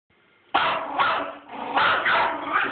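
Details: Teacup Yorkshire Terrier, a pet dog, excitedly chasing turtles, lets out sharp, high, rapid barks in quick bursts, about five in under two and a half seconds, each one loud and clipped, after a short quiet start.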